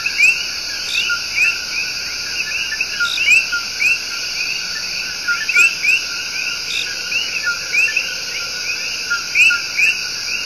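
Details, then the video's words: Coqui tree frogs in El Yunque Rainforest, Puerto Rico, serenade with their love song. Brisk rising chirps from several frogs repeat every second or so, layered over a continuous high, steady insect hum. "SERENADE OF THE COQUI"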